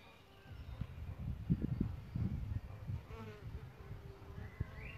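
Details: Solitary bees nesting in a bug hotel: a brief, steady, low buzz rises in pitch and fades in the second half, over low rumbling and soft background noise.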